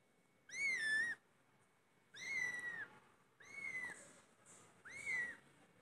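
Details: Four drawn-out cat meows, loud and high-pitched, each rising then arching down over about half a second, separated by pauses of roughly a second, over a soft background hiss.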